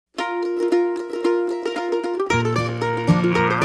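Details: Plucked mandolin music only, a bright picked melody joined by lower strummed chords, with no animal sound heard.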